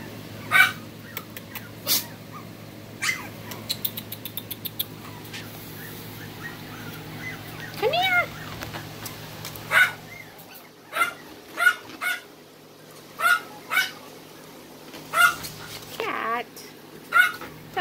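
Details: Smooth coat Brussels Griffon puppy in Texas giving short high whimpers and yips, roughly every second or two, some with a rising then falling whine, over a steady low hum and some background voices.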